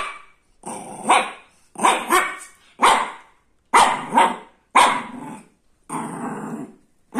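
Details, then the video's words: Shih Tzu puppy barking in a steady series of about seven sharp, rough-edged barks over seven seconds, each a short bright burst roughly one second apart, with faint growly undertones between some barks. "Shih tzu puppy barking"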